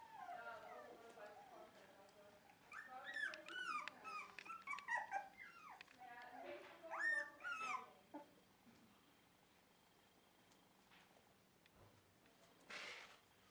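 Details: Dog indoors at a Shiba Inu and Samoyed breeder in the Netherlands, near a just-cleaned bed: a burst of rapid, wavering whines and yodel-like howls sliding up and down for about five seconds, then near quiet with a brief rustle.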